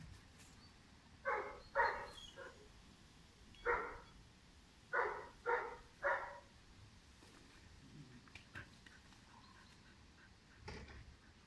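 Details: Five-month-old German Shepherd puppy Pirat, described as strong-nerved and high-drive, gives sharp barks: a quick pair, a single bark, then three in rapid succession, followed by quieter sounds and one faint final bark.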